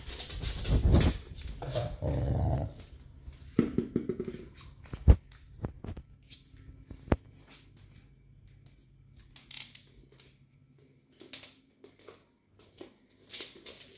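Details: Cardigan Welsh Corgi, recorded 3 November 2022, gives a few deep, growly barks, inviting someone to play with a ball.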